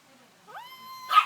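A month-old Shih Tzu puppy 'sings' with a reedy whine that slides upward, then holds a steady tone. It breaks off in a short, rough yelp-like burst as people talk faintly nearby.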